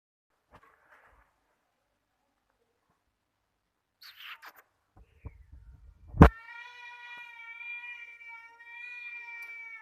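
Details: A cat making a sweet noise: after scattered clicks and rustling, a sudden knock, then a long, steady, drawn-out meow held at an even pitch for over three seconds.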